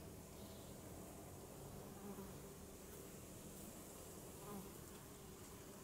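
A honeybee hums with a low, steady drone from its beating wings, growing briefly louder as it passes close. A faint, even outdoor hiss runs beneath the buzzing throughout.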